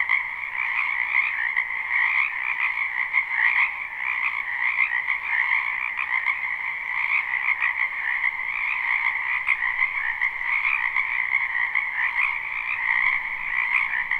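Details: Spring wetland frog chorus, live recording without looping: steady overlapping trills and croaks forming an unbroken shimmering wall of sound, rhythmic pulses from many frogs calling at once, nothing else audible.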